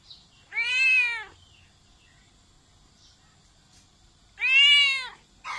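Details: A cat gives two loud, drawn-out meows about four seconds apart, each arched and bright with strong overtones, with near silence between them.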